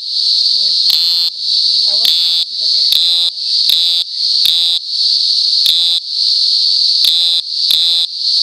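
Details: Continuous piercing high-pitched drone of a cicada, interrupted by short raspy pulses at irregular intervals of about a second, with a few faint lower chirping sounds beneath.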